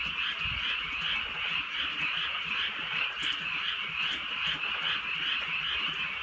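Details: Countryside frogs in full chorus on a drizzly night. Overlapping rapid croaks form a steady buzzing wall of sound, with occasional clicks of falling rain.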